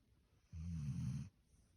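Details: Snoring Standard Poodle deep asleep in bed: a single deep, rattling breath-snore lasting roughly three-quarters of a second, even in loudness, then near silence.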